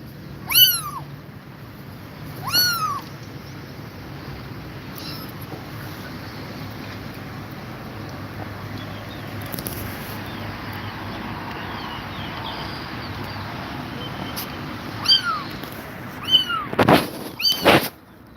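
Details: Tired mother cat with her kittens: two high, bowed meows open the recording, then a long quiet stretch with soft hum, before a close cluster of several more meows and a few sharp clicks near the end.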